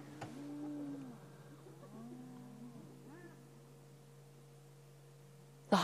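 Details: Spotted hyenas guarding a kill stolen from a lioness give thin, wavering squeals and whines, rising and falling over a steady engine hum; they are screaming, seemingly calling for backup.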